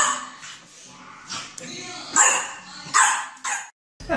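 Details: Dog barking at its own reflection in a mirror: three sharp, noisy barks roughly a second apart, rising from low background chatter, with human voices talking throughout.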